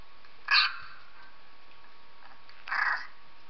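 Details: Two loud, strained whimpering yelps about two seconds apart from Purdy, a female dog, reacting to a recorded 3-week-old puppy; quiet between them apart from a faint background hum.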